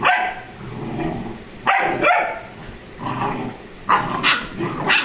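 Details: A 35-day-old Rajapalayam puppy named Bond play-fighting with Dora, a Labrador: short rough barks and growly bursts come in uneven clusters, with quieter muffled scuffling and grumbling between them.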